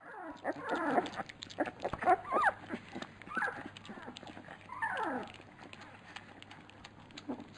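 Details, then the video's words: Labrador Retriever puppies at feeding time, a litter whining together: overlapping high, falling squeals and whimpers in quick bursts, with soft clicks and smacking between them. "Fütterung bei den Labrador Piranha Welpen"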